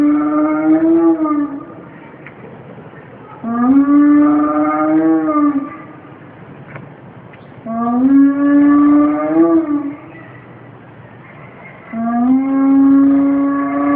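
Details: A captive spotted hyena (Crocuta crocuta) at Planckendael zoo calls in long, hollow, tonal notes under two seconds each, rising a little before leveling off, in a steady series about four seconds apart with quiet pauses.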